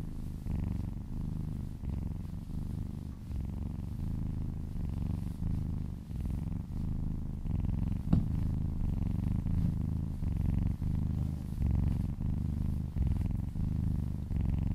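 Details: Little female kitten purring contentedly while massaged, purring near a person's ear; a continuous deep rumble rising and falling with each breath, roughly one cycle per second, and a single faint click midway.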